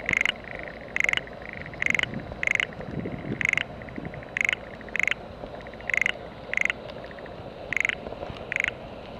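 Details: Frogs in a family rice paddy being readied for planting in spring, with mountain cherry petals floating on the water: loud grating croaks in short bursts roughly every half second over a dense background chorus.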